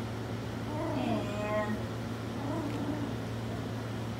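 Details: Puppy from Skittles' litter, four weeks old, gives a short run of whiny, harmonic cries that slide downward over about a second, with a fainter whimper after, against a steady low hum.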